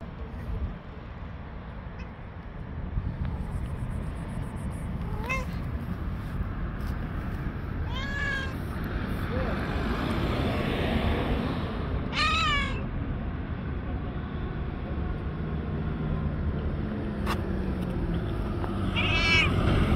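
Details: Angry white stray cat on the street gives four drawn-out, wavering meows spaced several seconds apart, each rising then falling, over a steady rumble of street and traffic noise.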